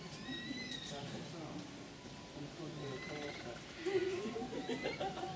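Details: Young capybara Syrup, after a scuffle with the much bigger, older capybara Cookie on a mossy hill, gives an appeasement, submissive vocalisation: a harmonic whining sound rising toward the end. Faint bird chirps and steady background noise are also heard.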